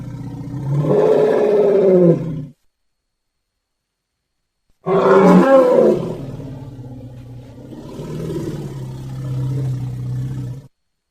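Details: Baby elephant giving two long, low roars about five seconds apart, each harsh and throaty at first, then settling into a sustained, wavering groan, with silence between.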